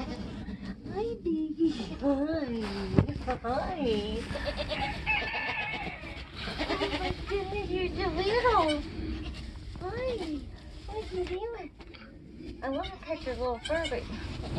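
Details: Nigerian Dwarf goat bleating while giving birth on a homestead during kidding season. Wavering, arched bleats repeat through the clip, some rising and falling sharply, with human voices talking alongside.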